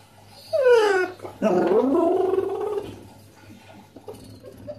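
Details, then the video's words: Two Basset Hounds begging their owner for a slice of pizza indoors: a sharp falling whine, then a longer wavering, moaning vocalization that sinks and trails off into quiet. "Basset Hounds Politely Request Pizza by Making Star Wars Sounds"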